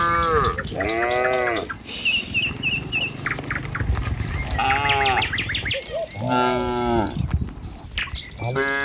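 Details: Herd of tame cattle walking a village road in the morning toward their feeding grounds, led by a herder. Repeated deep, drawn-out moos overlap one another, mixed with high bird chirps and a steady rumble of hooves.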